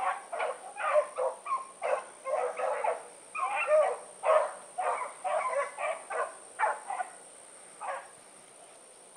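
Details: Hounds of the Blackreek pack (Choco, Dino, Johnny Ringo, Mingo) running in the evening, 16 August 2014. Loud, rapid barks about twice a second, several voices overlapping, thinning out and stopping near the end; faint steady whine throughout.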